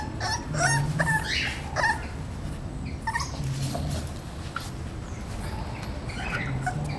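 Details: Male English Bulldog puppy, 38 days old, giving short whimpering yips and whines in quick irregular bursts, some rising then falling, with soft rustling and low background rumble throughout.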